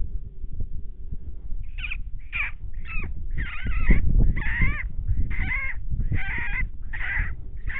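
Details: Coyotes in 2019, from three groups howling near a fence line where deer were being stalked: a run of wavering, quavering yips and short howls repeated about twice a second over a steady low rumble.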